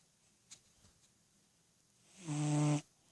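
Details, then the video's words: Ten-year-old cat Freddy dozing, eyes open, dreaming; after a few soft clicks and quiet stirring comes one deep, buzzing snore lasting about half a second. "Snoring Sleeping Cat"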